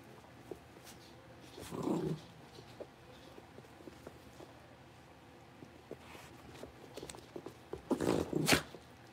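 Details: Blenheim Cavalier King Charles Spaniel puppies, a litter of five born at New Year, just moved to a bigger indoor pen. Two short rough growling bursts, one near the start and a louder one at the end, with quiet room noise between.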